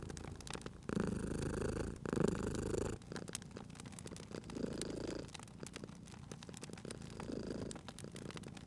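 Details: Purring cat near a crackling fireplace, a loud rumbling burst in the first seconds followed by softer rhythmic purr swells, while wood crackles and small pops sound throughout.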